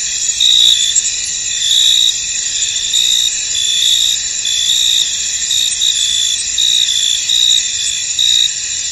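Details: Many crickets chirp together in a misty field, a thick high-pitched wall of sound with repeated short trills surfacing from the steady drone at uneven intervals.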